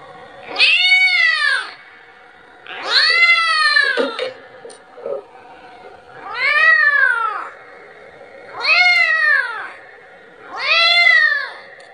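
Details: Kitten calling for its mother and asking for milk: five loud, drawn-out meows, each rising then falling and lasting about a second, repeated roughly every two and a half seconds with quiet gaps between them.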